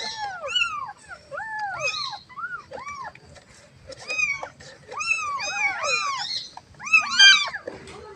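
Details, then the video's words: Kitten calling for its mother: several arched, rising-then-falling mews overlapping in bursts, some clear and high, others fainter, with short pauses between groups and a quiet background. "The sound of a baby cat calling its mother"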